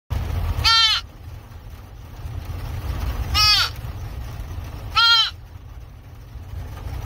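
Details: Rescued roe deer, a male, calling inside a car before release back to the wild; three loud, nasal bleats spaced about two seconds apart, each brief and harmonic-rich, with low vehicle rumble between.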